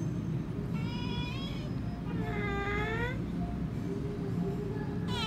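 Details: Kittens meowing over a steady low rumble: three rising-then-falling harmonic mews, each under a second, spaced about a second apart, with a fourth starting at the end.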